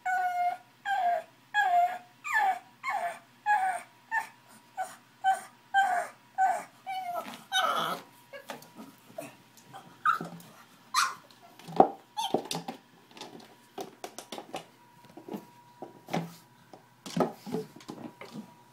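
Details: Angry pug dog trying to get to a bottle, whimpering indoors: a run of short, regular whining yelps, about one per second, giving way to rustling, scuffling and snuffling sounds with occasional squeaks.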